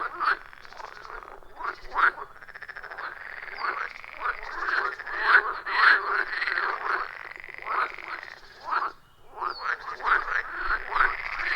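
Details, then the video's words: A loud, rhythmic frog chorus at a wild forest pond, captured with an iPhone 14 Pro and Shure MV88+; rapid rattling croaks overlap in waves, swelling and fading, with a short near-silent gap before the calling resumes. "30 Minutes of Frog Sounds at a Forest Pond"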